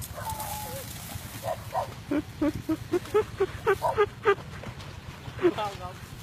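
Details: Phu Quoc Ridgeback dog outdoors while hunting fish: a quick run of about ten short, sharp mid-pitched barks, roughly four per second, then one final bark, over steady low rural background noise with a faint voice.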